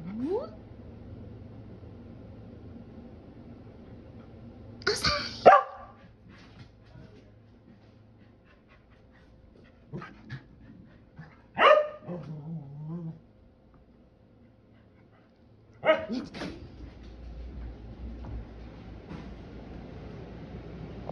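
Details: Keeshond dog, excited to go outside, gives a few short sharp barks and yelps spaced several seconds apart, with a person speaking softly in between and indoor background hum.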